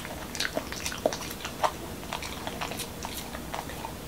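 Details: Momo, a male Pembroke Welsh Corgi in Washington DC, eats a dog-friendly taco of whole wheat shell, cucumber and lean ground beef indoors; irregular wet bites and crunchy clicks, about 100 per minute, over a low room hum.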